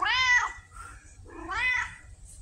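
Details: Red tabby cat Pumpkin, female, chatty like a Siamese, indoors in October 2023, apparently asking for food: two strong bending meows about one and a half seconds apart, quiet between.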